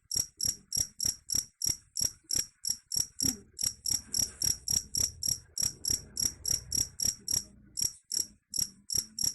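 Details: Shrill chirps from a cricket, presented as able to repel rats, pulse rapidly at roughly three and a half per second, with short irregular gaps and a soft low murmur in the background.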